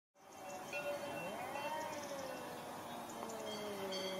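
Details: Domestic cats fighting: a drawn-out, wavering yowl that rises and falls around a mid pitch, with stacked harmonics over a steady hiss of background noise.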